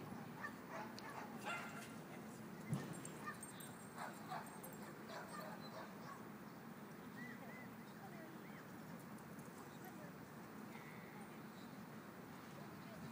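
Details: Several dogs at play in a dog park, giving scattered, irregular barks and yips, busiest early on, against constant low outdoor rumble and distant voices.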